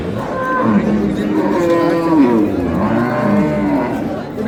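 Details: Dairy cows and calves for sale at Ambari market, 15 April 2026; several cattle low together in a continuous chorus of deep, overlapping moos with background crowd noise.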